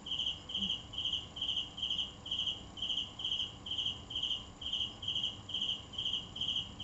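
A cricket chirps steadily, short pulsed trills repeated about twice a second.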